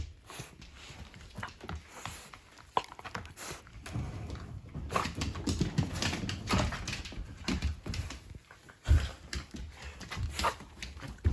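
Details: Shiba Inu that stays home on guard duty while the family goes out, making a big fuss when they return: excited whimpers and whines mixed with scuffling and thumping in a small indoor room.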